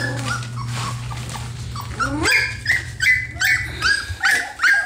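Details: Ten three-week-old F1B Standard Goldendoodle puppies learning to move, bark and play fight; a steady low hum in the first half, then high squeaky yips and whines repeating about every half second.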